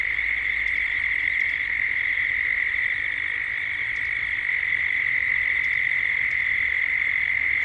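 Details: A continuous cicada chorus at dusk in Gippsland, Australia. It is an even, shrill hum with no pauses or change in pitch. A few sharp, short ticks sound occasionally higher up, and a low rumble lies underneath.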